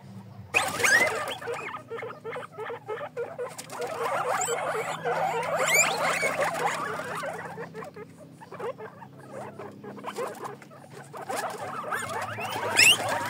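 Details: Pet guinea pigs kept for cuddling give a busy run of high, squeaky chirps and patters, packed several per second with short pauses, over a steady low hum.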